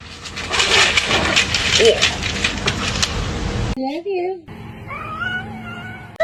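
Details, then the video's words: Kitten crying: after loud noisy chatter, two short wavering meows come, then a longer, steadier meow with clear overtones. A person speaks nearby. "kitten meowing crying"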